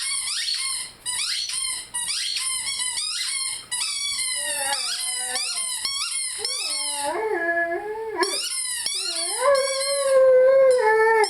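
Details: A Rhodesian Ridgeback named Lyle sings with his favorite squeaky toy; rapid repeated high toy squeaks, roughly two per second, give way to lower wavering howls that step up and down in pitch.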